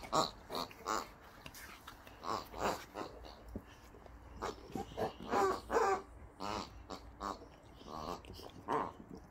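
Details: Two Boxer dogs, Rex and Sammie, playing indoors with new toys Rex got as a birthday gift; a steady run of short, rough grunts and snorts, roughly two or three a second, with soft rustling between.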